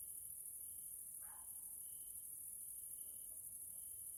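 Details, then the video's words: In a nature area in Hungary, Central Europe, grasshoppers sound in the evening: a continuous piercing insect hiss with faint even tonal notes, interrupted early on by one brief lower, falling call from another animal. "grasshoppers sounds in nature area Hungary Central Europe"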